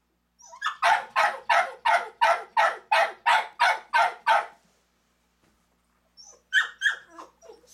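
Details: Rapid, steady run of harsh dog barks, roughly three each second, then silence and a few softer yips, in a home with mother dog Allie and her four ten-day-old boys born April 12th.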